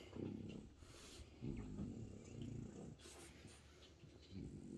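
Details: Bob the French Bulldog sits with his owner watching TV in a home office, talking with little snorts and grunts: three low, rough, buzzy grunting bursts, each about half a second, with faint room noise between them.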